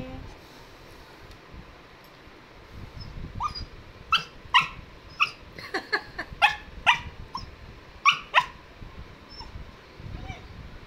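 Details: Pet cocker spaniel dog, possibly a puppy, barking indoors: about ten sharp, high yapping barks in irregular bursts over five seconds, some doubled, with a person speaking Hindi nearby and low room noise.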